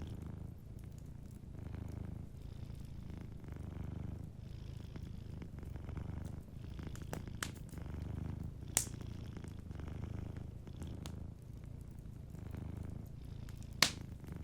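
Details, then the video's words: Soft, rumbling purr from a sleeping cat in front of a fireplace, rhythmic breath-by-breath swells underneath scattered pops and crackles of the fire. "Warm Fireplace Ambience with a Sleeping Cat 🐱💤Fireplace & Soft Purring"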